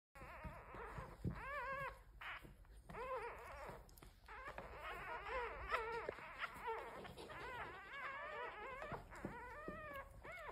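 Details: Domesticated red foxes of a large fox family kept as pets, giving a rapid series of wavering, whining yelps and squeals, overlapping calls from several animals, with a steady high electronic whine in the background.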